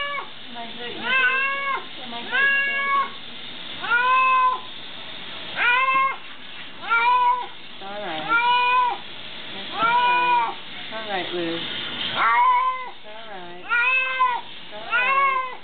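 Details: Cat complaining vocally while bathed, a rapid series of harmonic meows roughly every second, each arching up and falling, resembling the word "help" said over and over indoors.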